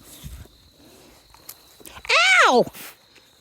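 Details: Australian Shepherd x Border Collie puppies from Domino's litter, 5.5 weeks old, recorded 2023-10-08: a single loud, harmonic yelp lasting about half a second, arching up then sliding down, amid soft rustling and handling noises.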